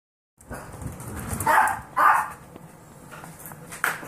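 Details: Ten-week-old Golden Retriever mix foster puppies let out a handful of brief, high-pitched yips and barks, two close together and one later, over constant scuffling and rustling from the moving litter.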